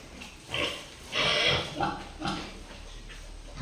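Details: A newly brought-in Duroc boar on a pig farm gives a run of harsh, noisy grunts and squeals. There are about five bursts in under four seconds, and the longest and loudest is a rasping squeal early in the series.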